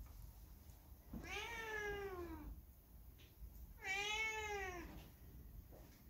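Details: Two long, plaintive meows about three seconds apart, each arching up then sliding down, from Hae, a people-loving factory cat left alone once the big dog and puppies were suddenly taken away; quiet room hum between calls.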